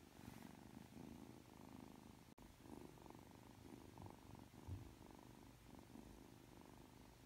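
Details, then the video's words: Ragdoll kitten Aki, three months old, purring affectionately just after waking from sleep: a quiet, throbbing low purr rising and falling with the breaths, broken once by a brief sharp click. "[Ragdoll cat] 잠에서 막 깨서 애교부리는 아키💕 寝起きで愛想をふるまうあき！(랙돌 생후 3개월)"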